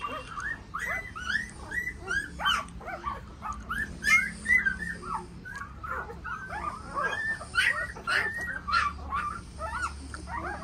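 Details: Several Tibetan Mastiff puppies yelp and whine together, their high, squeaky, rising cries overlapping almost nonstop, with a faint low hum underneath.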